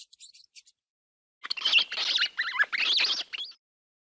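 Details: A few short high ticks, then a mouse's sustained wavering squeal that bends up and down in pitch for about two seconds.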